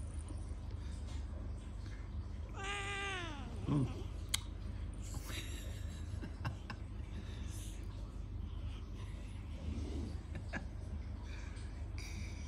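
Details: Siamese cat play-fighting with its owner, a cat that likes to grab hold and not let go: one falling, harmonic-rich meow sliding downward into a low growl, followed by scattered rustling and handling noises.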